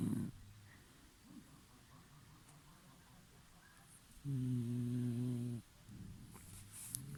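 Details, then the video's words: Snoring from a sleeping dog: one long, loud, low droning snore with a buzzy nasal tone, framed by softer short snorts and quiet breathing. "Храп собаки"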